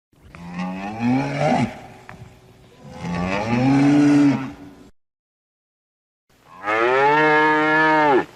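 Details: Cow giving three moos: the first two are breathy and scooping upward before they fade, and after a short silence comes a loud, steady, tonal moo held for about a second and a half.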